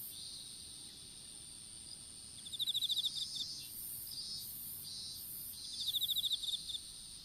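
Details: Insects in an outdoor strawberry field, recorded on a smartphone that fell during seedling planting. Two rapid trains of sharp high chirps, about four seconds apart, rise over a constant thin high whine and softer pulsing buzz.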